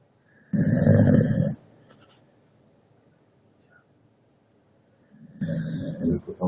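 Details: Leona, a pet dog, gives deep, gravelly snores: one long rasping breath of about a second, several seconds of quiet, then a rougher, fluttering snore.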